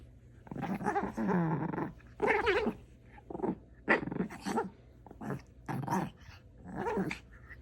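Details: Dog making an odd sound indoors: a series of rough, grumbling growl-barks and whiny moans in separate bursts about a second apart.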